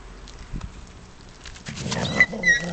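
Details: Ten-week-old English Cocker Spaniel puppies, with their mother and other adult dogs nearby, give brief, thin, high squeaks against a quiet indoor background.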